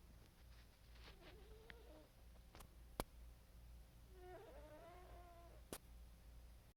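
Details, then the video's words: Sleeping pet cat, dreaming and snoring, makes two wavering, murmured mews, the second longer and more tremulous, with several sharp clicks and a faint indoor hum between them. "our cat is dreaming and snoring"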